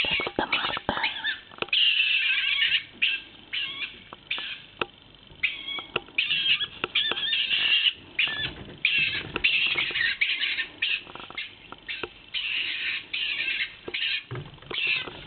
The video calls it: stone marten